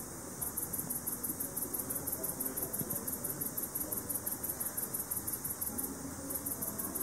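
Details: Soft ultrasonic ticking of a male speckled bush cricket, picked up in the evening with a bat detector. Rapid regular clicks run through most of the recording, with a short break near the end, over background hiss.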